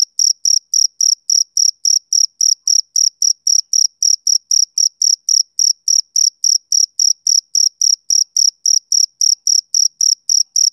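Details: A male cricket chirps without a break through a summer evening. Crisp, high pulses repeat about three times a second in a regular, unbroken rhythm. No other animals or noise.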